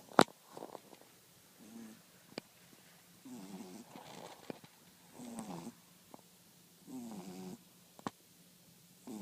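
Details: A French Bulldog snores in slow, rattling breaths, repeating about every two seconds.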